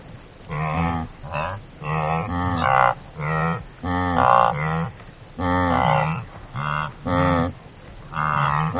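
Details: Antelope calling in a run of short, nasal, buzzy grunts with rich harmonics, about forty a minute at uneven spacing, some calls doubled; a steady high tone hums throughout in the background.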